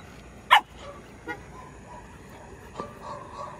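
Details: Dogs scuffling on a morning walk as two stray dogs play rough with a boxer named Tyrion: one sharp, loud bark near the start, then a couple of faint, brief yelps over low background noise.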